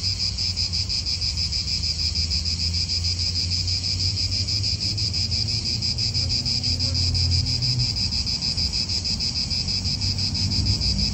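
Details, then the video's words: Chorus of cicadas in a park in Italy, continuous shrill buzzing with fine rapid pulses holding steady the whole time, while soft wind and a low distant hum stay underneath. "Cicadas wind real atmosphere in an Italian park"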